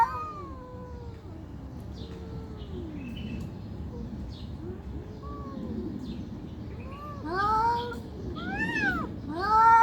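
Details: Angry fighting cats begin with low, drawn-out moaning growls, then build to loud, high, quavering wails in rapid succession near the end.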